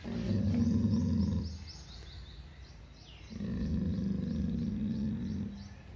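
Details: Fearful, aggressive Labrador giving two long, low rumbling growls separated by a short pause, while small birds chirp faintly in the background.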